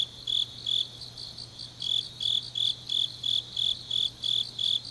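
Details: Grass insects of a deep autumn night in Changnyeong, Korea: clear separate high chirps, each a short ringing burst, spaced a little under half a second apart with a brief gap early on, over a soft steady hum.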